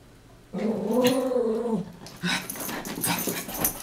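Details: A pet Chihuahua wrestling in play with its companion; one sustained wavering growl of over a second, followed by scuffling, thumps and shorter rough vocal bursts.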